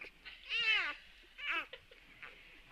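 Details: Newborn puppies, nursing with their mother, give high, squeaky whines that rise and fall, two cries about a second apart.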